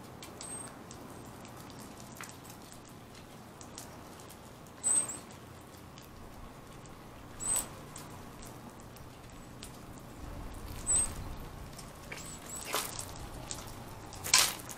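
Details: Round-tailed ground squirrel called Bubba, said to be ready for hibernation, repeats brief piercing high-pitched chirps every few seconds, about five in all, against steady broadband hiss with some soft tapping and rustling.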